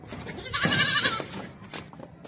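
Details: Beetal goat kept for sale in Hasilpur, Bahawalpur district, Pakistan; one loud, wavering, nasal bleat lasting about half a second, with background noise of the yard.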